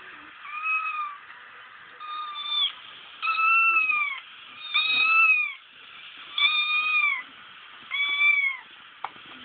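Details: Repeated crying of a kitten played as a prank for Frank, a female pet cat that was once a momma; six plaintive, downward-bending meows roughly every one and a half seconds, with brief quiet spells between them.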